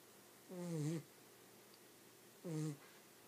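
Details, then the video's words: Sleeping dog that would not stop snoring: two low, drawn-out snores, the first longer and groaning with a gentle downward slide, the second shorter, each carrying a soft breathy hiss. "My snoring dog"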